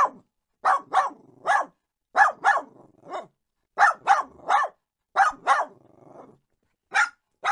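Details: Little dogs barking in short, sharp bursts, often in quick pairs or triplets, with pauses between groups; one softer, lower bark mid-sequence and a clean, quiet background.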